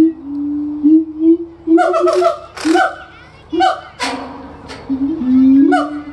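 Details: Siamang gibbons at a zoo in Florida sing sustained, sliding hoots broken by loud, harsh barking bursts.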